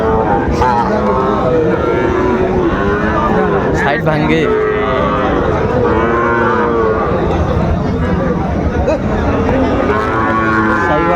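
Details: Sahiwal bull calves at Raniganj cattle market, 25 July 2024: repeated drawn-out, rich moos, several overlapping with rising and falling tone, over constant crowd chatter and market bustle.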